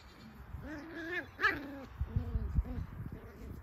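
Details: Cocker Spaniel puppies, seven weeks old, giving a string of high, tonal whines that arch up and fall away, then a run of shorter, choppier whimpers, with soft thumps and shuffling underneath.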